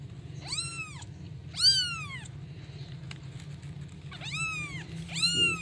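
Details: A kitten calls for its mother with four loud, high-pitched meows, each arching up then dropping, spaced one to two seconds apart in pairs, with a constant low background hum.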